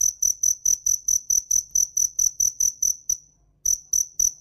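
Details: In Vietnam's western (Mekong) region, a cricket gives a steady run of high, pure chirps, about three to four a second, with a brief pause near the end before resuming.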